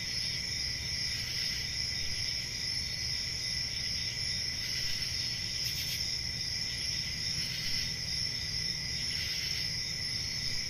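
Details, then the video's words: Crickets on a quiet rural summer night produce a constant piercing trill, with brief louder bursts around a few moments and a low background rumble throughout. "10 Hours Relaxing Cricket Sounds For Sleep | Ambient Summer Night"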